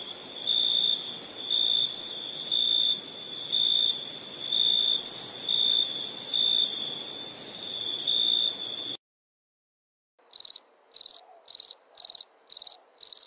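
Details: Crickets chirp at nighttime in a steady high trill with regular pulses for about nine seconds, then silence, followed by six sharp, separate high bursts in quick succession.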